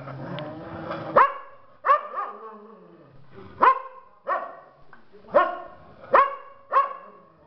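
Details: Pack of domestic dogs gathering together to howl and affirm each one's place in the pack. Sharp, bright barks come in an irregular series, about eight in seven seconds, with short gaps. A woman calls out just before.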